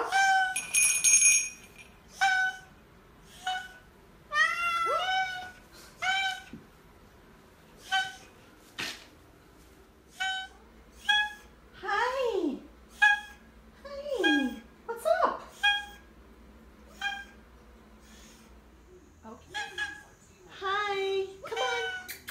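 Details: Teddy the Oriental Shorthair gives a long run of honks rather than meows: clipped nasal blasts mixed with downward-sliding wails, irregular and frequent, with a soft clink and room noise.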